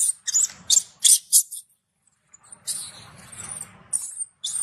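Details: Baby macaque, angry after its mother refused it milk, shouting loudly in harsh, very high, shrill bursts: four quick screams, a pause, then a longer ragged scream and a final short cry, with low rustling underneath.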